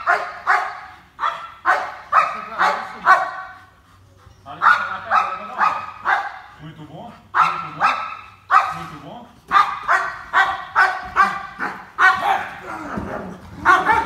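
A German Shepherd barks hard and fast in rapid bursts, aggressive barking made during guard training.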